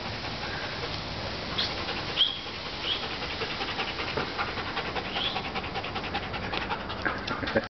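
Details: Bjork, a pet Doberman, running non-stop around the home yard; quick, rhythmic panting breaths with a few faint squeaky notes over steady background noise.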